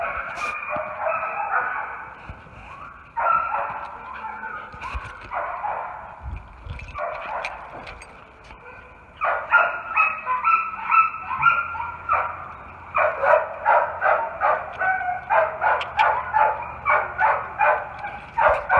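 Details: Raco, a friendly German Shepherd/Coonhound mix of about three years, barks persistently: irregular bursts early, then a fast, steady series of loud barks roughly three per second over the final stretch.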